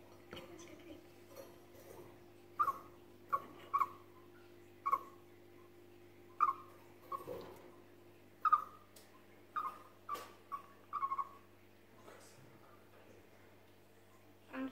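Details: A chipmunk that is startled repeats brief, high, downward-sliding chip notes at irregular intervals of about one second, with soft rustling and a constant low hum behind.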